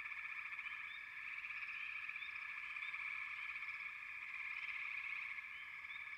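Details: Massed frogs produce a thick, buzzing trill that never pauses, swelling slightly in loudness, with a few faint rising chirps overhead.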